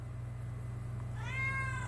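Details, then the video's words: Domestic cat replying to its owner with a rising then level meow in the second half, clear and harmonic against a low mechanical hum. "Talking with my Cat"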